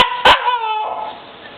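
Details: Siberian Husky puppy Tundra, female, crying when her owner calls her a crybaby: a sharp click, then a drawn-out, slightly falling whine lasting about half a second that fades into quiet.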